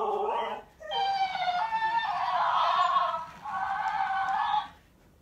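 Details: Female Alaskan Malamute answering a talking toy hamster indoors: a short wavering moan, then a long, high, harmonic squeaky replay from the toy that stretches over about four seconds.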